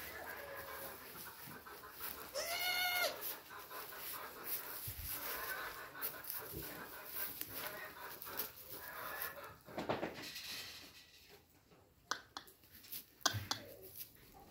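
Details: Goat on a farm giving one wavering, nasal bleat early on, about a second long. Rustling, clattering and scattered knocks follow for the rest.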